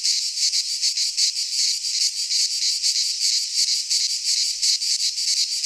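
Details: Greek cicadas singing in a pine forest at midsummer: a loud rasping whir rising and falling in fast regular surges, a few soft low knocks underneath.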